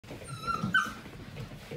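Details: Seven-week-old Portuguese Water Dog puppies from one litter playing indoors; two short, high, whining yips with stacked overtones in quick succession, each under half a second, over soft scuffling and low thumps of movement.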